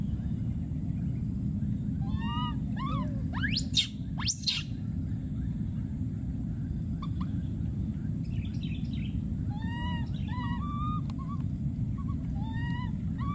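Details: A wild monkey infant screams twice, shrill and sweeping, between strings of wavering, arched whimpering coos repeated through the clip, while a persistent low rumble continues.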